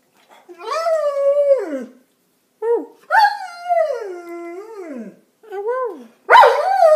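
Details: Six-year-old keeshond and German Shepherd mix dog 'talking' indoors: three drawn-out howling vocalizations that rise, hold, and slide downward, the second longest, with a sharp noisy burst at the end.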